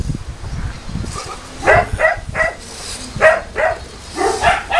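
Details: Boerboel barks during a visit to Delatro Boerboels kennel on 30 October 2013: quiet start with faint voices, then loud, deep barks in irregular bursts of two or three, roughly one per second.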